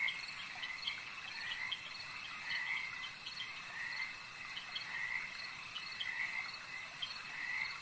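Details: Lakeside frog chorus: bursts of rasping, buzzy croaks come in uneven groups every second or so, set against a constant high-pitched shimmering drone of other night callers.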